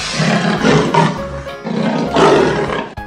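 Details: Leopard roaring in two long, rough, grating bursts separated by a short pause, set over steady background music.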